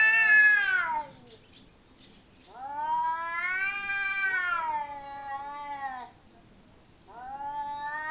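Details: Two cats quarrelling in a home garden in Japan, the resident cat dominating a smaller rival: loud, prolonged, warbling howls, three long wails with undulating pitch and short silent gaps between them.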